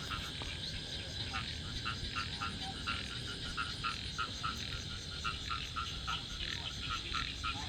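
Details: A dense chorus of frogs croaking loudly together in flooded rice fields behind a house in Thailand after rain, with rapid overlapping pulses throughout.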